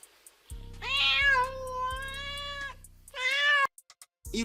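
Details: One long, steady meow lasting around two seconds, followed by a shorter, sharper meow, set against background music with a regular beat.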